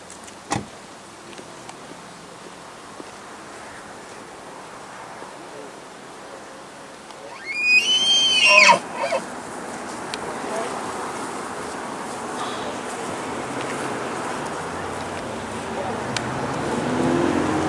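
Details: Bull elk bugling during the rut in Rocky Mountain National Park, September 2017, while gathering a harem; one short, high, rising whistled scream with bright overtones sounds midway, followed by a general hum of background noise.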